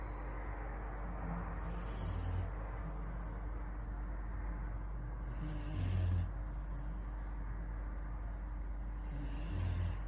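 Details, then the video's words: Dobermann asleep and snoring, slow rhythmic breaths with a hoarse, airy rasp swelling roughly every three to four seconds against a faint constant low hum. "Храп добермана"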